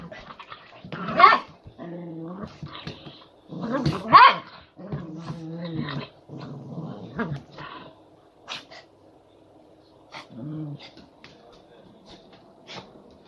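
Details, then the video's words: Elderly Miniature Poodle/Maltese sisters, 18 years old, squabble over salami with low, throaty growls in rumbling stretches of one to two seconds, broken by a few sharp snapping yelps, then quieter pauses with faint clicks. "18-year-old Miniature-Poodle/Maltese Sisters Fighting Over Salami"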